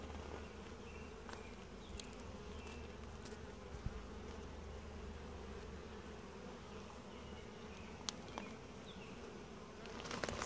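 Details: Gentle honey bee colony in a hive being inspected at an apiary; steady low buzzing hum throughout, with occasional soft clicks and a louder handling noise at the very end.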